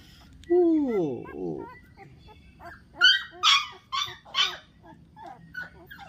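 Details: Newborn dachshund puppies heard as a long falling whine followed by a string of sharp, high squeaks and yelps, irregularly spaced; a person speaks softly in the background.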